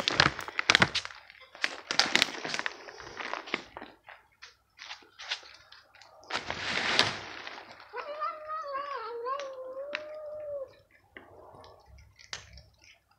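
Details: Feral stray cats being fed dry crunchies: after a stretch of crunching, clattering kibble sounds, one long wavering meow holds steady for nearly three seconds, its pitch dipping and rising slightly before fading, followed by soft scattered clicks.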